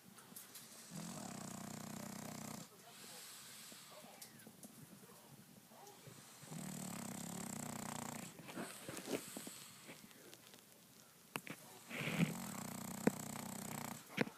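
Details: Sleeping French bulldog snoring: rough, low buzzing breaths lasting about two seconds each, recurring several times with quiet gaps between, plus a few faint clicks and rustles.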